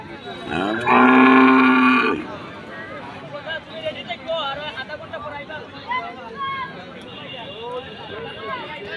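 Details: A cow tired from intense sun and hot weather lets out a single strong, steady, resonant moo that ends abruptly, followed by faint chirping and murmuring distant voices.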